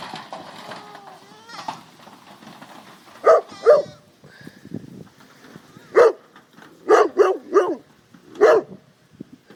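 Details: Young goat kids playing in their pen while the mothers are out grazing; short, strongly pulsed bleats come in bursts around three to four seconds and again repeatedly from six to nine seconds, with faint background voices and tonal calls early on.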